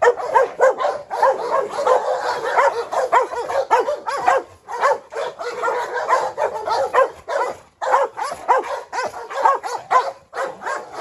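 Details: Constant rough barking from a group of three dogs, a brindle Presa Canario female picking a fight with a Rottweiler while a Staffordshire adds to the commotion; harsh barks pile over one another almost twice a second.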